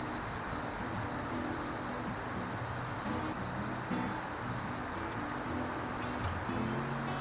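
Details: Sasakiri katydid, Conocephalus melaenus, from Japan: a continuous high, even, hissing buzz held at one steady pitch without a break for the whole stretch, with only faint low rumbling beneath.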